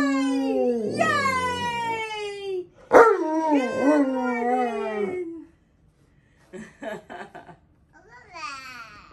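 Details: Alaskan Malamute named Tonka, kept indoors with a Siberian Husky named Monroe and a toddler feeding them grain cracker cookies; drawn-out harmonic howling vocalizations falling and wavering in pitch, a brief break, then short yips and a final rising howl.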